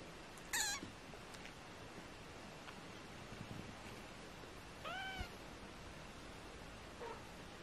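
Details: Four British Shorthair kittens, 18 days old, indoors; a short high squeak near the start, then a clearer arched mewing cry around five seconds and a faint one near seven, over a soft steady hiss.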